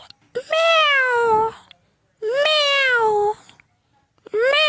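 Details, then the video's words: Domestic cat meowing: three long, clear meows about two seconds apart, each rising briefly and then sliding slowly downward over roughly a second, with a quiet background between calls. "funny 🤣🤣cats and with sounds animals video"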